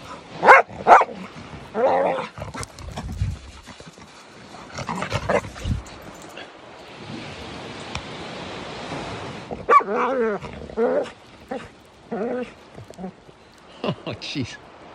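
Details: A 15-month-old Norwegian Elkhound, excited and rambunctious, plays on a sandy bluff at a beach in Sequim, Washington, on a morning outing; irregular short barks and whining yelps in bursts, with a stretch of rushing noise and people talking.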